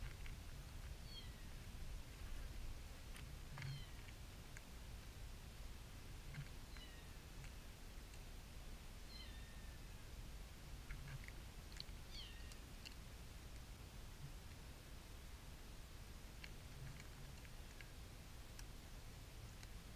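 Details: Kitten giving thin, high-pitched meows, each short and sliding downward, repeated irregularly about every two to three seconds through the first thirteen seconds, faint against a steady low background rumble with occasional clicks and rustles.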